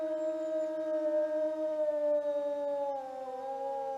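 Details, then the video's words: Wild wolf of the open steppe giving a single sustained howl, a smooth mournful tone with strong overtones that slowly sinks in pitch over four seconds, faint background hiss. "Қасқырдың дауысы | 1-бөлім | Вой волка"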